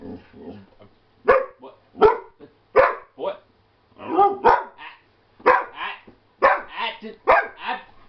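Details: Shepherd/Husky mix Naga argues back at his owners, giving a string of loud, rough bark-yowls about once a second, each harsh and rising, mixed with a person's scolding voice.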